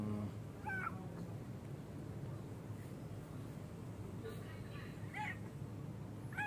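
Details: Cat at play in a park, part of its daily routine: scattered brief meows, one near the start and a pair toward the end, set against constant low-pitched background hum and occasional human voices.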